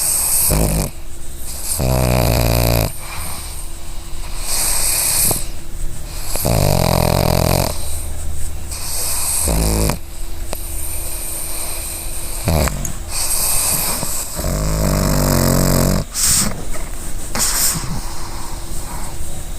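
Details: Female pug asleep and dreaming, snoring in a small room: a run of rumbling snores and quick snorts at irregular intervals, some short and choppy, others long and rasping, with a faint steady hum.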